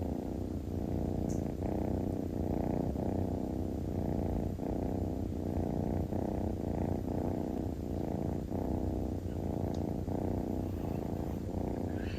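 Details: Kitten purring while relaxing and basking in the sun: a steady, low, rumbling purr in rhythmic pulses, each breath cycle roughly every half second, continuing throughout with no other clear sounds.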